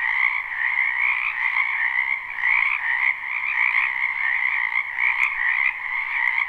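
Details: Chorus of many frogs from a wetland behind a home in spring, captured live with no looping: continuous layered trilling croaks, dense and even, with faint pulsing swells and no other clear sounds.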